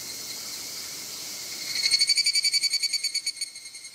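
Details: Evening cicada (higurashi) sings its bright, rapidly pulsing 'kana-kana-kana' song over a steady insect hiss at Izumo Iwai Shrine, Moroyama, Japan, on 2 August 2020.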